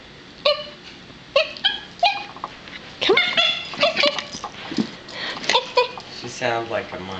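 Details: Chloe, a Yorkshire Terrier puppy, is coaxed to speak while playing with her squeaky toys indoors. Short high yips come about once a second, then a busier run of squeaky, monkey-like yelps and whines as a person talks.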